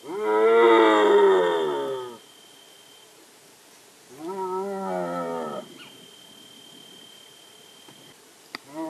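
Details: Indian striped hyena calls twice: a long, rich, quavering moan of about two seconds, then after a pause a shorter, similar wavering call. A faint steady high tone runs in the background, and there are a few clicks near the end.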